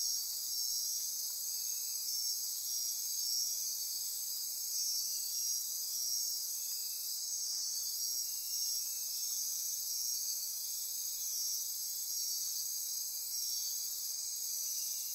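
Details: Midnight insect chorus recorded in rainforest on Costa Rica's Osa Peninsula near Corcovado National Park; continuous high-pitched trilling and ratcheting wash with brief pulsed notes recurring irregularly over it.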